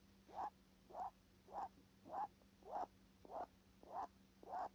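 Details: A rabbit snuffles through its nose in regular short puffs, roughly every 0.6 seconds, each a soft breathy rasp, with a low steady hum in the background.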